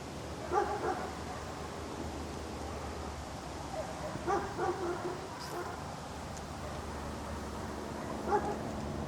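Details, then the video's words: Dog barking outdoors over constant hiss and low rumble: a short double bark, a gap, a faint group of barks near the middle, then a single bark toward the end. "Outdoor Ambience Dog Barking"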